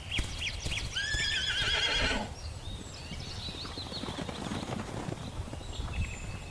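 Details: Plains zebra herd moving across low grasslands of the Serengeti under the morning sun; a wavering, harmonic braying call over about two seconds, followed by rustling and fainter calls in the background.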